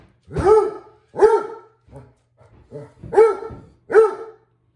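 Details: Vincent, a Basset Hound, barks at the household's new robot vacuum cleaner; four loud booming barks with rich harmonics, each rising then falling, separated by softer short huffs, in a small indoor room.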